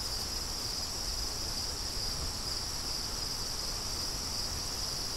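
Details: Several crickets outdoors in the wind keep up one unbroken, high-pitched ringing trill, while gusts rumble softly underneath.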